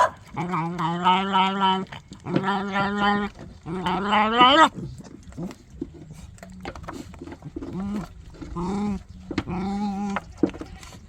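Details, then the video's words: Puppy vocalizing oddly while it eats: three long, strained, groaning whines come close together first. After a quieter stretch, shorter bent moans follow, with faint clicking and chewing-like noises between them. "이상한 소리를 내며 먹는 강아지"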